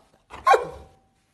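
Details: Pet dog at home, asked to give its paw: one short, sharp bark with a brief falling tonal tail, about half a second long, then quiet.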